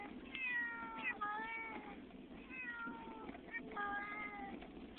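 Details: Domestic cat, upset on the way to a new house, giving three drawn-out falling meows, fairly quiet, over a steady low rumble of travel noise.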